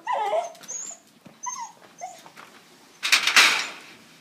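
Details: Jerry, a Jack Russell terrier and beagle cross, gets excited at a beagle down the road, tail wagging fast; high, thin whimpering yips come in short bursts, then a loud noisy rush of sound near the end.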